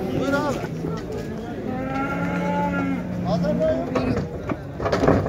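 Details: At the crowded Şarkışla livestock market in Turkey on 8 January 2022, a cow gives a long, steady, low-pitched moo lasting over a second, with shorter lowing and market chatter around it.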